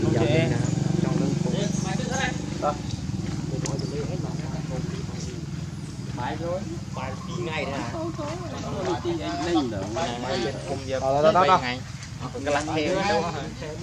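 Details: Baby monkey Leo, hungry and begging its mother for milk, cries in wavering, warbled tones that rise and fall, with the loudest bursts near the end; people talk in the background throughout.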